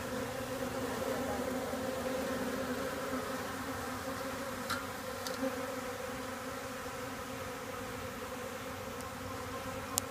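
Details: Swarm of honeybees circling close to their hive during orientation flights. A continuous low hum with steady overtones fills the recording, with a couple of brief ticks and one sharp click at the very end.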